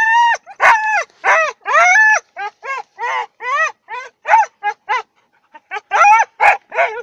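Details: Siberian huskies, said to look like wolves, singing before training: a run of short harmonic yodelling howls, each rising then falling, in quick succession with brief gaps and one longer pause near the end.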